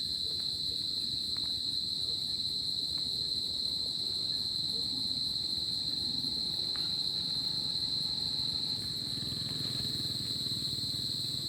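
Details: Cricket sound on a summer night: a sustained piercing trill at constant pitch, accompanied by occasional clicks and a low rumbling noise that swells toward the end.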